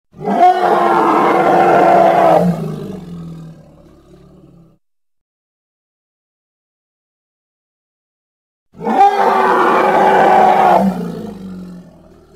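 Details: Hippopotamus, two separate loud raspy bellows about two seconds each, each trailing off into a low rumble, with several seconds of silence between them.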